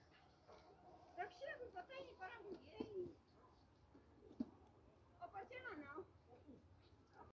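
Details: A goat on a farm in Pakistan gives loud, wavering, human-like screams in two bursts separated by a quiet pause, during an intense fight between two goats over an ear of corn.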